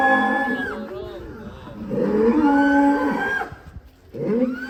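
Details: Raging cow escaping its pen bellows in long, loud moos: a sliding call first, then a steady moo held about a second and a half, and a third starting at the close, with little background noise.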